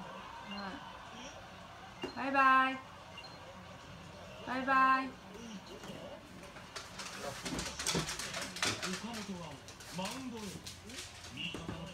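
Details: Pug, eager to go for a walk, gives two loud, drawn-out tonal whines, each under a second and about two seconds apart. Softer rising-then-falling whimpers follow amid voices and clattering clicks indoors.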